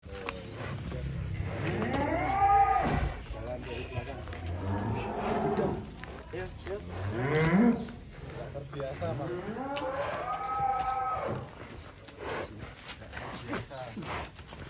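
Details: A giant fattened bull being loaded onto a truck in Indonesia, agitated, gives three long, loud, wavering moos that rise and fall, with a man's voice and vehicle noise in the background.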